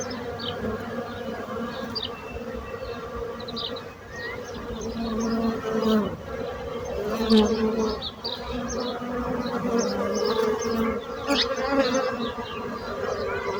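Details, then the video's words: Sustained buzzing of bees, a droning hum with several harmonic layers that waxes and wanes over time, accompanied by scattered soft high-pitched bird chirps. "So brutzit abelles - Bees sound - Bees buzzing sound effect"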